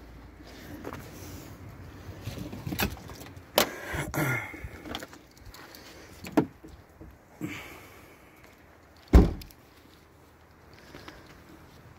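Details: Car interior and door noises, clunks, a window motor and jangling keys over a low engine rumble, with no animal voice heard.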